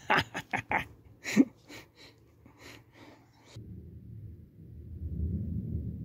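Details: Beagle puppies learning to hunt, chasing after a fake weasel: a quick burst of short, sharp, high yaps packed into the first second and a half, then a lull before a low rumbling noise fills the rest.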